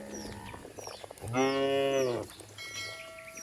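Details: A cow in a herd running down a green village hill gives one loud, steady moo lasting about a second. Small birds chirp faintly in the background, and there are soft rustles before and after.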